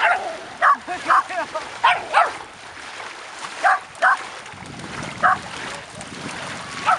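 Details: Mother dog and six puppies aged ten months playing on a beach, reunion day 3 August 2011; bright, clipped barks in a tight early flurry, then scattered ones, mixed with human talk and rushing background noise.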